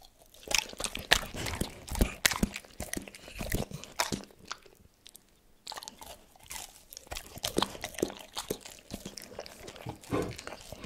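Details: Tito, a pet dog, chews a cordon bleu meal, recorded close up for ASMR with no talking. Sharp crunchy bites come in bursts, broken by a brief near-silent pause before the chewing resumes steadily.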